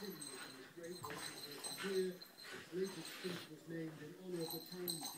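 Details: Young female Bernese Mountain Dog in a wild burst of play with her favourite rope toy; low harmonic whining grumbles rise and fall in short bursts, with faint scuffling underneath.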